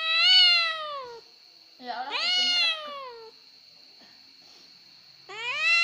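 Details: Three loud, drawn-out cat meows indoors, each sliding downward at the end, separated by pauses of a second or two; high steady whine behind.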